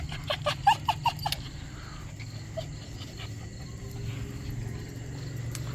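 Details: Havanese puppies, Honey's litter at nine weeks old, give a quick run of about seven high, bright yips in the first second and a half, then fall quiet under steady low rumble and a person talking softly to them.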